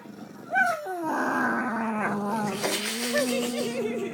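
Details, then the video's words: Two pugs, one black and one fawn, playing indoors with a stuffed pug toy received at Christmas; a rising nasal whine breaks into a sustained low rumbling growl with wavering higher whimpers over it. "Pugs making noises"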